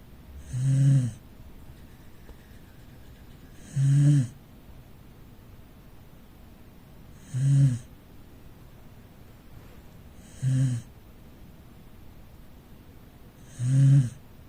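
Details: Sleeping rescue Corgi dozing in the living room gives five low, throaty snores at a steady pace of about one every three seconds, with soft silence between each rumbling inhale.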